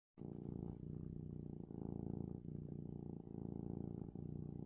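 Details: Happy male domestic cat purrs loudly before bedtime, a deep, steady rumble pulsing with each breath.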